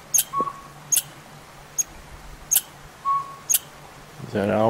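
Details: A squirrel in backyard woods scolds with sharp, clicking chips about once a second, upset by a northern pygmy owl nesting nearby, joined by a couple of faint thin whistles; a man starts talking at the end.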